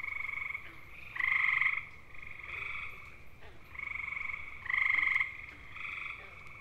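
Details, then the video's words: Male gray tree frogs (Hyla versicolor) of eastern North America give loud, musical, bird-like mating trills, each lasting under a second and repeated in quick succession. "Grey Tree Frogs: How To Identify Their Mating Calls & Sounds!"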